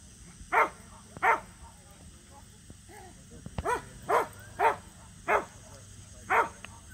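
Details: Samoyeds Mozart and Zuko at a local match show, their first ever; seven short, sharp barks come in an uneven series, with a quiet gap near the middle, over a steady faint background hum.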